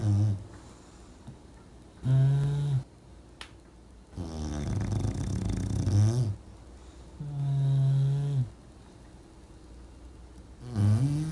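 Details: Sleeping English bulldog snoring in a dogs' snore contest: deep droning snores return every two to three seconds, some long and rattling, others short and steady, with quiet breathing between.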